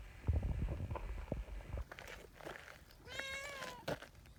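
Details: Affectionate community cat calling on a bench where its meow gathers a trio of cats; low rustling and handling thumps, then one clear drawn-out meow, level then falling, lasting under a second.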